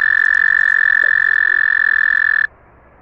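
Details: American toad (Anaxyrus americanus), trill.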